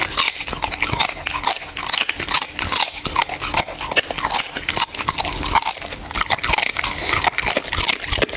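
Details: A pet dog chewing its food, recorded close for ASMR: a continuous stream of crisp crunches and snapping bites, busy and unbroken, with nothing else audible behind the chewing.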